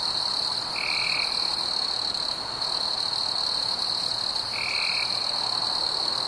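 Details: A summer-night cricket chorus holds one constant, piercing high trill with fainter upper overtones; two brief, lower, steady tones break in, about four seconds apart.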